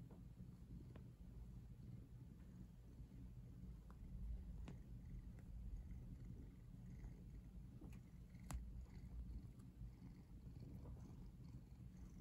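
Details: Cat lying twisted next to the camera, purring in an even low drone throughout, with occasional crisp ticks and rustles from fur or movement.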